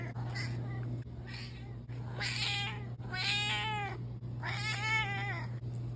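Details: Domestic cat meowing repeatedly indoors: a few short, soft mews early on, then three louder drawn-out meows, each rising and falling, with a steady low electrical hum throughout.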